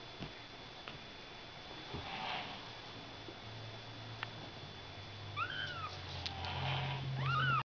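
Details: Ragdoll kittens born on March 31 give thin, high mews that arch up and fall, over a low steady hum.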